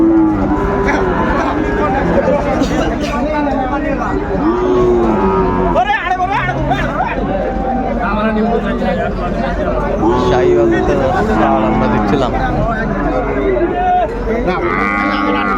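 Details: At a packed cattle market in Chattogram, Bangladesh, on 17 January 2025, Sahiwal cattle moo again and again. Short, arching calls overlap from many animals amid loud crowd noise and voices.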